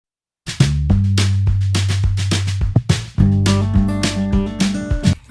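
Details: Guitar and drum-machine music with a heavy bass line plays after a brief silence, and no animal is heard.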